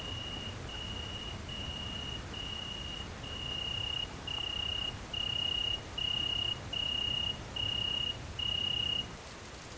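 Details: Great green bush-cricket (Tettigonia viridissima) at night in countryside of central France, 22 August 2016, observed mating, giving a steady, very high-pitched buzz with lower tonal chirps repeating about once a second.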